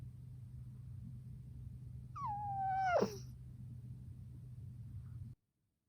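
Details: While sleeping, an Exotic Shorthair cat gives one whistled snore that slides downward over about a second and ends in a brief rough burst. Steady low background hum surrounds it, then near silence.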